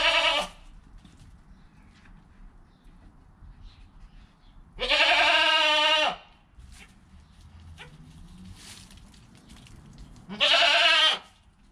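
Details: Newborn goat kid within its first hour of life, mother calm beside it: three loud, harmonic, nasal bleats, one at the start, one around five seconds and one near the end, with quiet pauses between.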